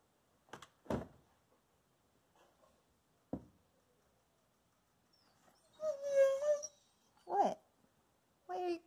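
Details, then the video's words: Peaches, a Wolamute wolfdog indoors, cries because she holds two treats and won't share; a few clicks, then drawn-out harmonic whining vocalizations near the end, with a person speaking gently between them. "Wolamute doesn't share"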